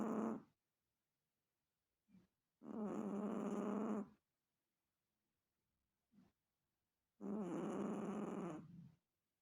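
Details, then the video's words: Snoring Chihuahua, with long raspy inhaled snores lasting over a second, each followed by quiet gaps and short soft puffs of breath, in an otherwise silent setting. "Chihuahua Roncando"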